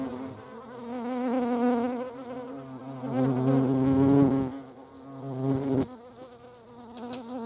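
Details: Hornets at a feeding place in the Eifel buzz loudly in flight, a deep droning hum that swells and fades as they pass close.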